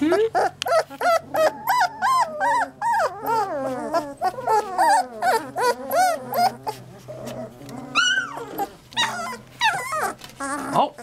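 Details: Several three-week-old Labrador Retriever puppies in their box, a dense run of wavering, overlapping whines and squeals, some quavering and falling, with a steady low hum underneath.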